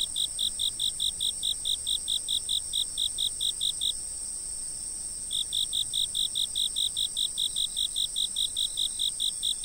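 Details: Insects chirping, recorded from a fixed camera: a loud, steady train of short high chirps repeated more than twice a second, pausing briefly near the middle, over a continuous high-pitched insect whine.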